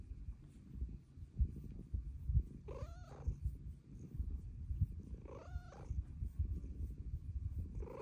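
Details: Pet cat Luna, whose purr grows louder with age, rumbling low and constant as she asks to be petted, breaking into two clear meows about two and a half seconds apart.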